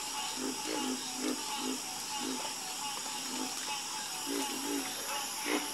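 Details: Chorus of croaking frogs: low, hollow notes repeated in a steady, fairly quick rhythm, often in doubled beats, above a constant high shimmering hiss.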